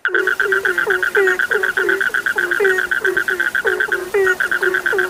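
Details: Frogs in full chorus, with a steady string of short, high, pulsing notes and a matching run of lower, clipped croaks that slide downward, each repeating quickly and overlapping without pause.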